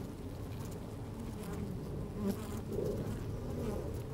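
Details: Honey bees busy at work inside an open hive on a fine, sunny day, microphone slid down among them: dense low droning hum with overlapping buzzes, swelling slightly toward the end, faint wind.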